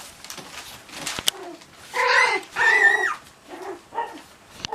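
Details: Cocker Spaniel puppies at play; short high whines and yelps, two longer wavering squeals in the middle, with a few sharp knocks.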